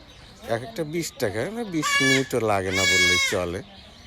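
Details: Young goat kid bleating during castration with a knife, loud wavering high-pitched cries rising and falling around the middle of the clip, with people talking before and between them.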